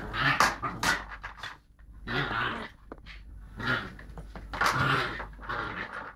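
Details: Playful Lakeland Terrier pup pushing its luck with an older Lakeland x Patterdale, mobile phone recording; short gravelly growls come in four clusters separated by quieter panting and shuffling.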